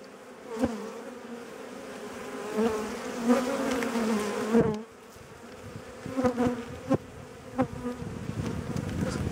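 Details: Agitated honey bees during an April hive inspection with requeening in progress, the colony described as very aggressive. A low droning hum swells and fades as individual bees pass close, with clicks from hive work.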